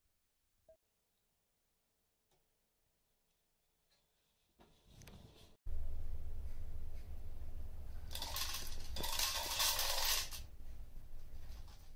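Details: Near silence with a few faint clicks, then a loud mechanical whirring and rattling of food dispensing, with no animal voice.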